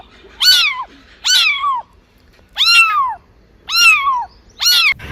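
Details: Cat meowing, five clear harmonic meows about a second apart, each rising briefly then falling, loud and close in a quiet setting.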